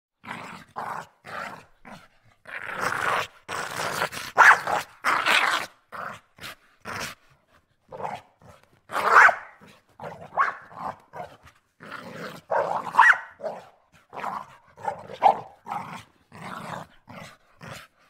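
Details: A male Pit Bull mutt of the Texas Big Face type, recorded indoors, snarls violently in harsh, ragged bursts, as in a fight.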